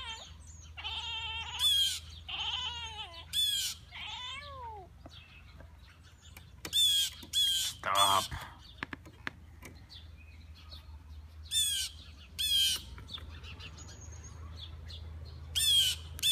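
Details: Cat making almost-meow sounds aimed at birds to get their attention: short runs of quick rising-falling chirps in the opening seconds, then sharp high bird chirps recurring throughout over a low steady hum.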